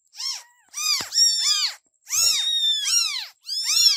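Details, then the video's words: Several kittens meowing, high arched calls overlapping one another in short bursts, with brief silent gaps between the cries. "Baby Cats Meowing Sound Effects"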